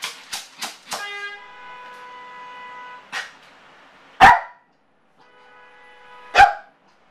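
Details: A male Yorkshire terrier left alone indoors, showing separation anxiety as he does whenever his owners leave: three quick sharp yaps, then a long steady high-pitched whine, a short yap, and two loud barks separated by fainter whining.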